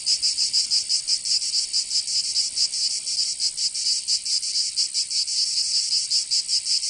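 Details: High, metallic buzzing of summer cicadas in Provence, southern France, a constant wall of sound with uneven throbbing beats and bright clicking accents, no other animals or voices.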